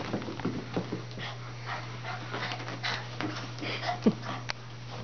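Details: Shih Tzu–Chihuahua cross puppy just after a bath, panting in quick irregular breaths, with one short high thin whimper near the end, a constant low hum behind.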